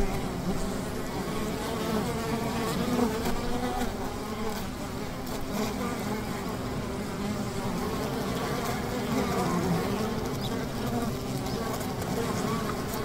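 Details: Steady communal buzz of honey bees at a hive by the river, low and droning with layered tones and small rises and falls in intensity.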